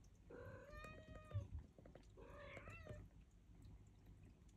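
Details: Turkish Angora kittens give two drawn-out, wavering meows, one after the other, at feeding time.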